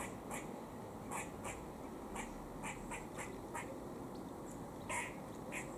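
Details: A squirrel eating in Cambridge, UK, on 17 October 2020 at about 4:18 pm gives a run of short, harsh chucking notes, repeated about twice a second as a warning.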